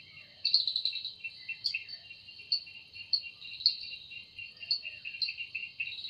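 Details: An evening forest cicada, sound made by its wings, gives a sustained piercing buzz that swells into brief sharp accents roughly once a second over a constant high hum.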